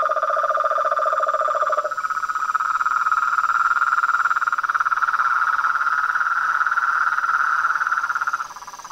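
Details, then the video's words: Evening chorus of toads, frogs and tree frogs at a reservoir beside a house at nightfall. A low rapid pulsed trill breaks off after two seconds, then a higher, continuous rattling trill runs steadily for six more seconds before fading. "A SINFONIA DOS SAPOS, RÃS E PERERECAS"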